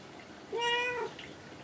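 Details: Domestic cat named Kinako, often perched on shelves or cage tops indoors, answering when spoken to: one clear, steady, tonal meow lasting about half a second, with rich harmonics, in a quiet small room.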